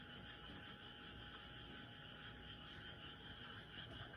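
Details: Loud nocturnal frogs calling together in one continuous mass of trills, steady and unbroken, with stacked high-pitched layers and a soft low-frequency hum underneath.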